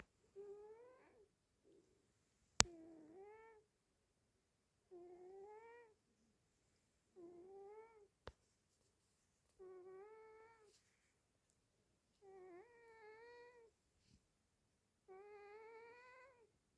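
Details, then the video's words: A sleeping house cat snores indoors, each breath giving a squeaky, tonal, rising-then-falling note about one second long, repeated every two to three seconds in a quiet room, with two sharp clicks. "quem tá roncando???"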